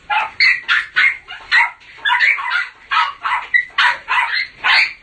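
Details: Jack Russell Terrier, a new dog just welcomed home to the family, giving a rapid series of sharp, high barks and yips, about a dozen in five seconds, loud and slightly irregular, with no pause between bursts.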